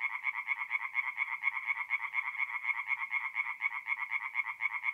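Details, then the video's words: Singing tree frogs at night in a forest pond, mid-April, north-east Italy: a dense chorus of rapid, nasal pulsed calls, about two per second, overlapping into a steady throbbing band with no other sounds. "relaxing forest pond by night with singing tree frogs"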